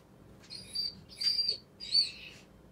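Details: F1 retriever named Jake, anxious as his owner goes out for the first time since moving house, whining at home: three high, thin, drawn-out whimpers, each about half a second, with quiet room background.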